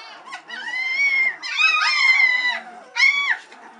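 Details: White Swiss Shepherd puppies, three weeks old, impatient while waiting for their mother to come back and nurse them; three drawn-out, high, slightly wavering whines, the middle one longest, indoors.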